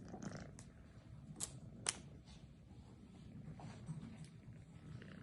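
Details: Cat in a lion head mask purring softly, a low even rumble with a few sharp clicks and brief rustling noises.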